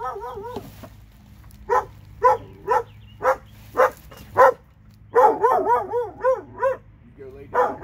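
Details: Two dogs from Alabama barking steadily, single yaps spaced about half a second apart, then a faster tumbling string of wavering barks before a final bark, over a faint low hum.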